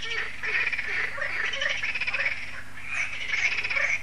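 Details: Evening frog chorus at Lac de Sabatte in France, an annual event once the solar lights switch on; many frogs croaking together in thick, buzzy, pulsing swells with a low constant hum beneath.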